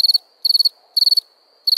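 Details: Cricket chirping at night: crisp, high chirps of four or five rapid pulses each, spaced about half a second apart, with a faint continuous high tone from another cricket between them.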